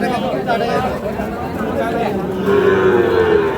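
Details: Sahiwal bull calves at Ambari cattle market, Parbatipur, Dinajpur, Bangladesh, on 30 March; one calf gives a drawn-out, mid-pitched moo that arches up and down in the final second, over steady bargaining chatter and crowd noise.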